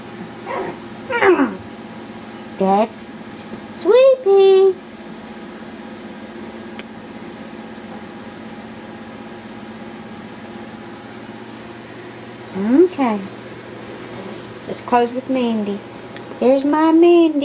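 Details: Playing Yorkshire Terrier puppies let out scattered high yelps and squeaky whines, a few quick bursts near the start and again near the end, separated by a long quiet stretch in a small room.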